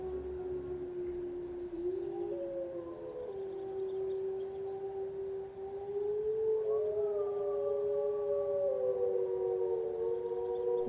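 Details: Grey wolves in the alpine Écrins National Park (Champsaur, France) howl in long, smooth, sustained notes; a second voice joins and slides upward midway, the howls overlapping over a low background rumble.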